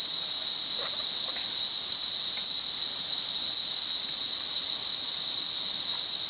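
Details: Cicadas singing in the wild near Monaragala, Sri Lanka: a continuous, steady, high-pitched shrill buzz without breaks, loud and unchanging throughout, with faint scattered clicks beneath.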